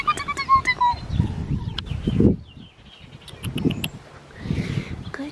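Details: Five-week-old black tri male Australian Shepherd puppy in Tallulah, Oklahoma, recorded April 27, 2020: a short, high whine sliding downward in the first second, followed by low voices, handling noises and sharp clicks.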